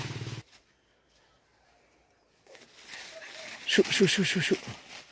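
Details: Hunting dogs let loose in a forest, barking: after a quiet stretch, a quick run of five sharp, harmonic barks in under a second near the end, with brief speech at the start and rustling outdoor background.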